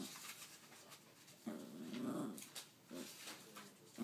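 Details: Pet dog growling indoors in a small room as if trying to tell its owner something; a low rumbling growl swells around the middle, with shorter grumbles before and after and faint room noise.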